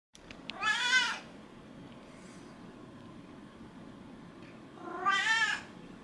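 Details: A pet cat meowing while seeking affection, walking on two legs and rubbing against its owner; two clear drawn-out meows about four seconds apart, with a quiet room hum between them.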